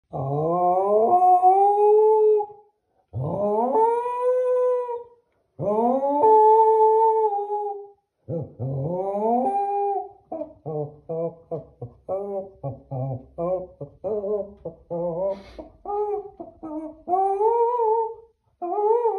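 A Keeshond howls in long, rising, wavering notes, then breaks into quick yodeling yips and short howls.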